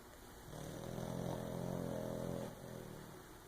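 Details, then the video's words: A sleeping, dreaming pug snores: one long, low, buzzy rasp lasting about two seconds at a steady pitch, rising out of and fading back into a constant background hiss. "Pug sleeping, dreaming and snoring!"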